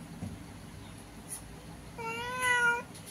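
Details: A domestic cat inside talks through a window with an unknown cat outside that has come to the house; one clear, drawn-out meow that rises slightly, then levels, after a quiet stretch of low room noise.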